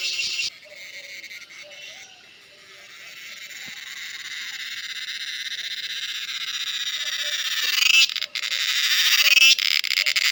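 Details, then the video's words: Cicada calling in natural surroundings: a shrill buzz begins, fades, then builds steadily louder before breaking into sharp, rapid rasping pulses near the end. "Cicada sounds/Cheeveedu"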